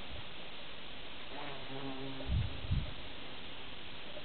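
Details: A bumblebee in grass, possibly seeking a nest site or nesting material, gives a low, humming buzz that drifts past for about a second and a half over steady background hiss.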